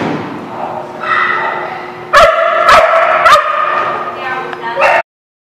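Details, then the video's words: Dogs at a lot, recorded 7 July 2017; a murmur of human voices and background dog noise, then three sharp barks about half a second apart, another bark near the end. "The Barking Lot"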